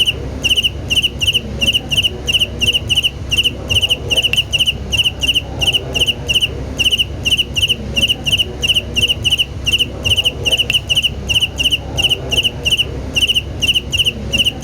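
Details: Rhythmic cricket chirps continue throughout, each a crisp pulsed trill of three or four beats at high pitch, recurring about three times per second, with faint low noise underneath.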